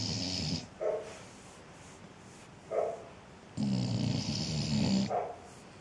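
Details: Ziggy the dog snoring when hot, indoors: a short rasping snore, then quick soft snorts, then a long rumbling, growly snore of about a second and a half near the end.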